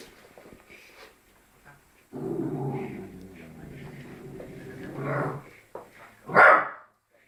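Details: Labrador Retriever puppy barking at its own reflection indoors: a long low rumbling growl-like stretch for about three seconds, then a single sharp loud bark near the end, with a few soft human murmurs before.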